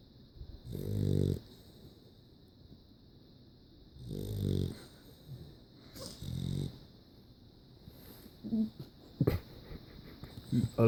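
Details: Sleeping dog giving low, buzzy snores every two to three seconds, three clear rumbling breaths, followed by softer snuffling, small squeaks and a few sharp clicks near the end.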